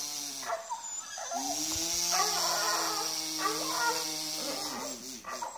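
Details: Tubbie, an 11-year-old Schapendoes dog, gives a long steady whining tone lasting several seconds, followed by shorter broken whimpers, while a person talks softly and offers treats.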